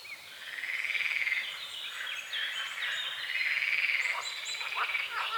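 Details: Frogs croaking at dawn over a small forest-edge lake with morning fog and water lilies; a dense, rattling trilled chorus swells and holds steady, with birdsong layered over it throughout.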